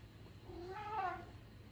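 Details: Norwegian Forest Cat and Ragamuffin in a fight giving a short, low, wavering yowl that rises then falls, over a steady low hum.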